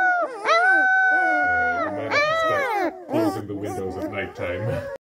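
Several Springador puppies howl at once, their voices overlapping. Each howl swoops up, holds a long, clear note, then wavers and trails off into yelping, uneven cries.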